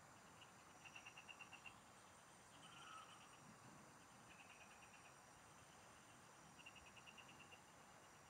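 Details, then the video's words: Frogs singing in the fields, heard while fishing: short, high pulsed trills of rapid clicks, each burst lasting about a second and repeated several times, over a steady high insect-like whine and a soft background hiss. "Pikinggan mo Ang MGA huni Ng MGA Palaka SA bukid"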